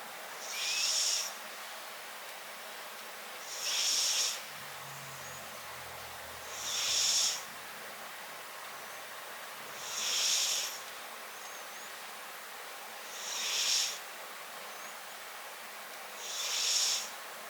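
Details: Tabby-and-white house cat snoring, heard up close. Soft airy hissing breaths repeat steadily about every three seconds, and a faint low rumble appears once near the middle.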